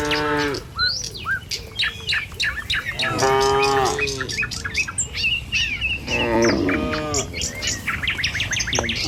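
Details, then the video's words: Tame cattle walking a village road to their pen in the morning, lowing in three separate drawn-out moos with arching pitch, while many birds chirp and whistle all around. "Suara Sapi Moou Sepanjang Jalan Menuju Kandang"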